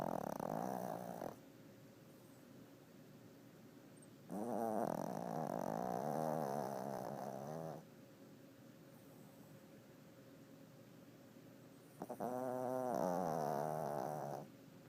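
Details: Napping male Chihuahua, described as chunky and lazy, snoring steadily: three long, raspy, rattling snores of about three seconds each, separated by quieter pauses of a few seconds, with a faint steady hum underneath.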